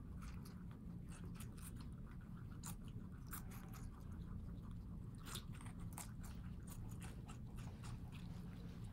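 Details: Guinea pigs living indoors in New York City munch watermelon, biting and chewing in rapid crunchy clicks, some sharper snaps standing out against a constant low room rumble.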